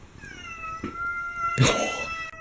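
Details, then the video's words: Domestic cat meowing indoors while a ceiling fan runs, filmed in fall 2017: brief meows break through a steady whining fan tone with clear overtones, plus faint music. "The cat meowing while filming a ceiling fan!"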